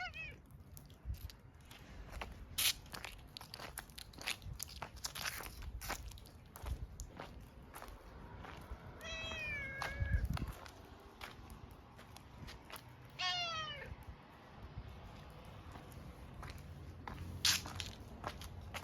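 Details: Tortoiseshell cat, slow to notice at first, creeping closer half-doubtfully and then calling once it recognises the person: two drawn-out, falling meows with clear overtones, some seconds apart, among footsteps, crunching and rustling outdoors.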